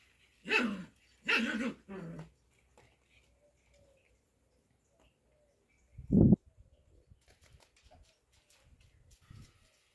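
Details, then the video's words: Cocker Spaniel show puppies during playtime give three sharp yappy barks in quick succession, a single loud bark about four seconds later, then faint scuffling and small noises. "show cocker spaniel puppies play time"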